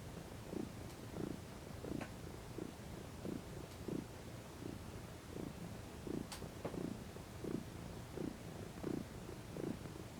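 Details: Female domestic cat lounging in the sun, relaxing, stretching and rolling over, purring steadily: low rumbling pulses swelling with each breath roughly every 0.7 seconds, with a few faint clicks in the background.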